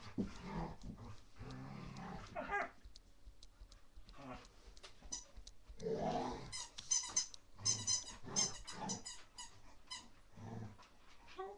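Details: Rottweiler puppy named Lea on a wild playful romp, captured live indoors: bursts of puppy growling and high squeaky yelps in uneven runs, mixed with scuffling, and a woman calling her name.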